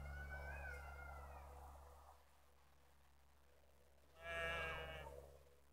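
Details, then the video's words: A ewe with three black lambs on a street in Netoniai, Kaunas district, Lithuania, on 27 September 2016 at 17:53. A long wavering bleat with a steady low hum underneath, a short pause, then a second brighter, louder bleat. "3 juodi ėriukai ir avis"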